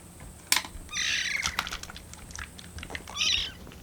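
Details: Hungry rescue kittens, Lucy among them, on their 25th day in care, wait for their milk to cool. Two hoarse, breathy, high mews sound amid clicks and small knocks in a quiet room.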